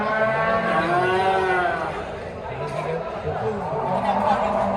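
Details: Simmental and Limousin cattle at an animal market, with overlapping low moos, several deep bellows that bend up and down in pitch, and steady market bustle underneath.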